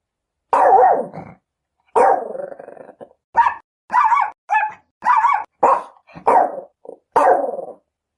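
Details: Chihuahuas barking: high, sharp, shrill barks, the first few longer and ragged, then a rapid run of short clipped yaps roughly every half second, with brief silences between.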